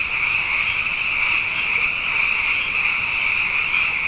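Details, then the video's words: Frogs in great numbers after two wet years, calling night after night; a thick, steady chorus of bright high trills over a softer lower drone, without pauses or other noticeable sounds. "Frog Songs: Na Mele o nā Paloka"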